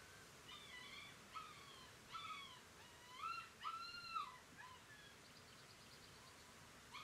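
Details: Whimpering from a litter of Galgo Español puppies, Kennel Grey Mountain, 2018: a run of short, arching whines in quick succession, rising then falling, a few louder, with a faint high trill toward the end.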